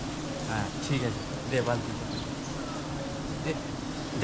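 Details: Bees around a huge wild beehive being cut down during village honey hunting; a steady low humming buzz runs throughout, overlaid by people talking and occasional handling noises.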